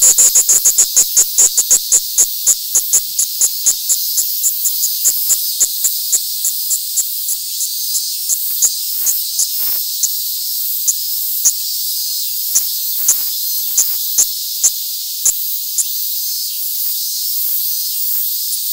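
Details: Hand-held Platypleura kaempferi cicada in Tokyo, Japan, August 3, 2021, gives a high buzzing song broken into rapid pulses, fast and regular at first, then slowing into sporadic clicks over a continuous hiss.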